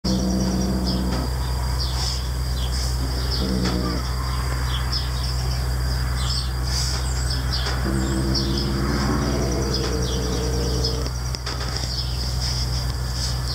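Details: Noodle the cat growls at anyone trying to take his sparrow: short low rumbling growls near the start and a longer one toward the end, over a steady low hum with small birds chirping outside.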